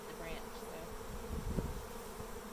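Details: Big swarm of Western honey bees from a farm hive, 24 April 2022, just starting to land and cluster on a branch; dense, steady low droning buzz from many bees, continuous throughout with small swells in loudness.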